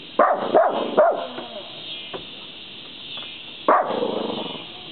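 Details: Small dog barking fiercely at a deer at the edge of the woods, chasing it away: three sharp barks in quick succession, a pause, then one more loud bark near the end.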